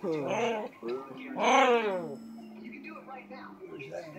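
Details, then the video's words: A playing dog trying to talk produces rising and falling howl-like whines in quick bursts, the loudest swooping up and down midway, followed by a lower sustained whine under quiet indoor chatter. "Dogs play and try hard to talk!"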